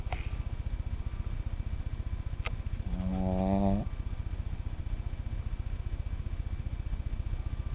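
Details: Small male pet asleep at bedtime, giving a continuous low, fast-fluttering rumble with one louder, nasal, whistle-like snoring breath near the middle lasting roughly a second.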